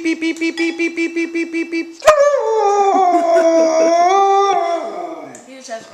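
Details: Pet Siberian Husky puppy reacting to someone repeating "beep beep beep": a quick even run of beeps for two seconds, then a loud drawn-out wavering howl that sags and fades, with a brief voice at the end.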